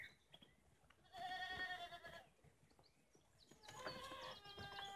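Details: Herd of playful baby goats just a few days old, outdoors in the Bosnian village of Podhum on a sunny spring day; bursts of high, wavering bleats from several kids, with a quieter gap in between.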